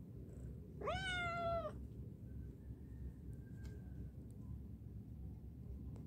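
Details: A single long, rich meow, rising then holding steady before dropping, from a cat hesitant to come back down after climbing up; faint hum and a soft tone follow.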